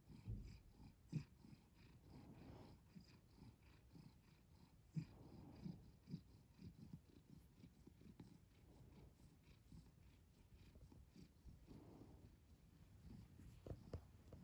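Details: House cat purring softly and continuously, low rapid rumble with faint clicks, gentle rises in loudness at intervals.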